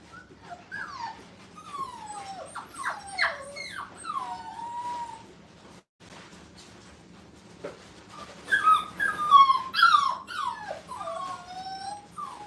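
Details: Several five-week-old puppies on their first time in a playpen whine in long, wavering, falling cries, a few seconds of calling, a brief pause, then a louder burst of overlapping whimpers and yips.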